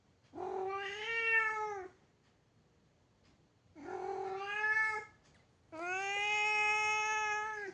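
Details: Domestic cat giving three long, plaintive meows, each over a second long, separated by quiet gaps. The last call is the longest and most sustained, with a steady tone and rich harmonics.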